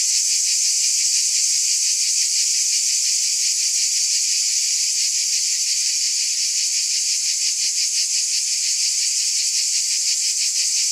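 Cicadas give a dense, high, hissing buzz that pulses steadily without a break.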